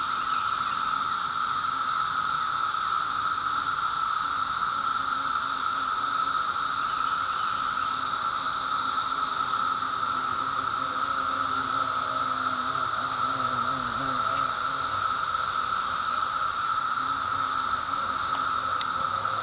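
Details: On the fifth day of ongoing cicada noise, cicadas fill the air with a steady, hissing, high-pitched drone that never lets up and hurts the ears after a while.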